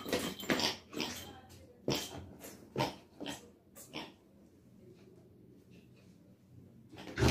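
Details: ['Labrador Retriever puppy in an angry mood, giving short, harsh snarling bursts about every half second for four seconds, then a quiet pause before one final loud outburst.']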